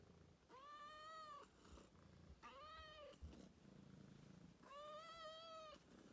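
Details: Rescue cat indoors giving three drawn-out, arched meows about two seconds apart. Each is clear and harmonic and rises then falls slightly. Faint room noise fills the gaps.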